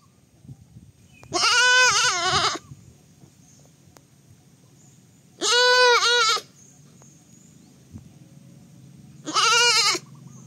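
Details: Baby goat bleating three times, each bleat a harmonic-rich, slightly wavering cry lasting about a second, spaced roughly four seconds apart, with a faint low hum underneath.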